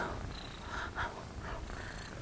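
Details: A female kitten, handled in the remote mountains of Greece, purrs steadily in a low continuous rumble, with a little breathy handling noise.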